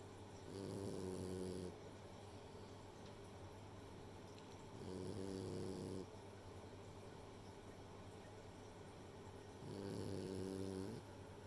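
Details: Sleeping French Bulldog Rei, a female, snores in three steady low rumbling breaths, each about a second long and spaced roughly four to five seconds apart, with soft room hum between them.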